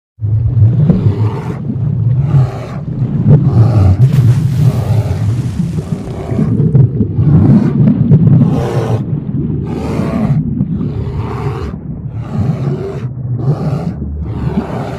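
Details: Brown bears fighting in Russia, with deep, rumbling growls and harsh roars coming in rapid, overlapping bursts.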